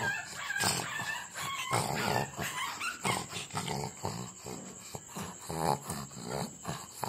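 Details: Several puppies give short yelping barks and squeaky yips, dense and overlapping, with rustling and shuffling between calls and a faint constant high tone behind.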